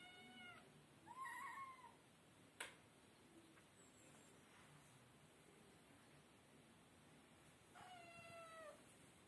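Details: Kittens meowing indoors: two clear, tonal meows, the first rising then falling around one to two seconds in, a second longer drawn-out meow near the end, with a sharp knock between them over a quiet background.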